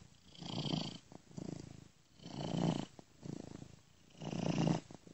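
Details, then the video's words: Domestic cat purr, soft and continuous, looped with an ear-to-ear stereo effect; deep vibrating rumble pulses in slow swells about every two seconds, alternating louder and quieter breaths. "Cat Purring Gently Ear to Ear"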